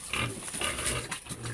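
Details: Domestic sow raised for breeding, kept by a farmer hoping she becomes pregnant quickly; rough, breathy grunting snorts in several short bursts over under two seconds, with a faint steady hum behind.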